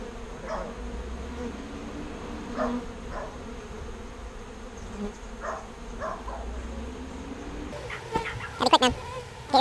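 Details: Bees being rescued from a birdhouse and moved into a proper bee box give a steady low droning buzz, with faint voices murmuring and a burst of clattering handling noise near the end.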